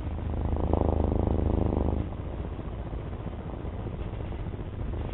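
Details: House cat giving a low purr that swells loudly for about two seconds, then fades to a quieter steady rumble.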